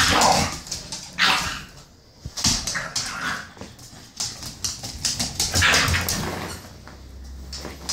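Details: Maggie, a female British bulldog pup eight weeks old, scolds the dog Marley with sharp squeaky barks and yelps in irregular clusters. Pauses fall between bursts, with a low hum and shuffling underneath.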